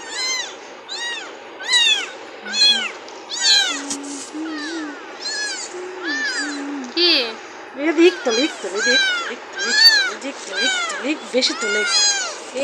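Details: Cat meowing: many short, high, arched mews in quick succession, roughly one per second, over a steady low hum with some lower voice-like tones.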